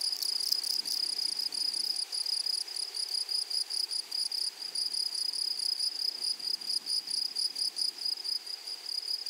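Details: Meadow grasshoppers on a flowery prairie keep up a constant high, thin buzzing, finely pulsed, with a faint upper overtone and no other clear sounds.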